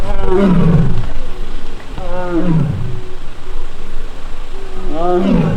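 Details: Taebeom, a young Korean tiger at the tiger forest of Baekdudaegan National Arboretum, filmed on 1 August, cries out in annoyance while missing sibling Mugung. Three drawn-out, harmonic moaning calls drop in pitch, spaced about two seconds apart, with faint outdoor background.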